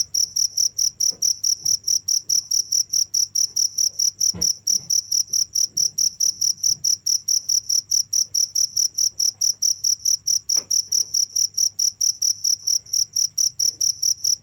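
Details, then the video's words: Cricket chirps continuing nonstop, crisp high pulses in a very even beat of roughly two per second, an overtone above each, with occasional faint thuds and a low steady hum. "without stopping the sound of crickets"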